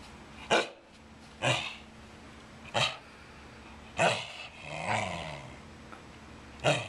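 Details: Wire Fox Terrier named Brighton barking with a tennis ball in his mouth, demanding to play ball; five short muffled woofs spaced about a second apart, with a low grumbling growl between them.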